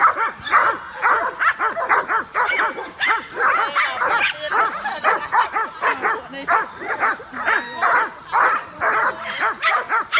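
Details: Excited dogs run around and bark at a drone flying above them. Continuous fast barking from several animals, around two barks a second, forms a dense chorus of sharp, repeated notes for ten seconds.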